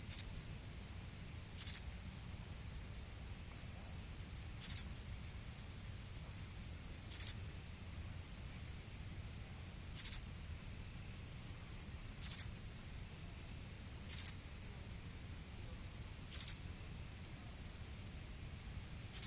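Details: At night a cricket gives a steady high trill, broken by sharper chirps every couple of seconds.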